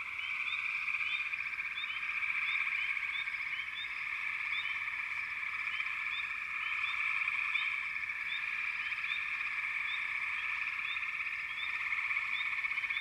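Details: Frogs calling together in a dense, steady chorus of overlapping trills, with short bright chirps repeating about four times a second throughout.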